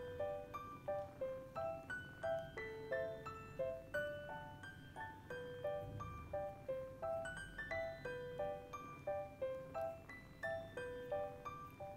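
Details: Soft, gentle piano melody of repeated plucked-sounding notes over faint room hum, with no meowing or other animal sounds.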